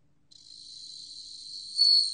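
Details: A bell cricket's ringing song, recorded in 2020 by the National Institute of Biological Resources: a thin, high steady tone fading in softly, ending with one sudden louder, brighter swell near the close.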